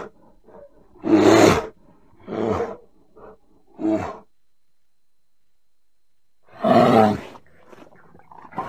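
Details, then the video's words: Bear vocalizing with a loud, coarse roar, then two shorter throaty grunts and a quiet gap of nearly three seconds, followed by another strong roar and faint low murmurs. "Bear sounds"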